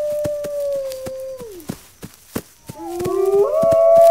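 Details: A wolf holds a long, level howl that slides downward and fades. After a brief pause with sharp clicks, rising howls return, overlapping and climbing to a loud sustained tone.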